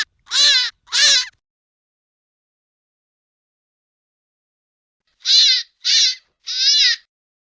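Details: Hare giving harsh, high-pitched squealing cries: two quick wails, a long silent pause, then three shorter squeals in a rapid series. No other sounds.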